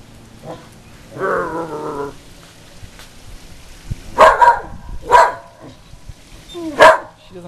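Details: Outdoors, a female whippet that normally never barks reacts to the Goodyear blimp; a woman's voice speaks first, then three sharp barks roughly a second apart and one more after a short pause.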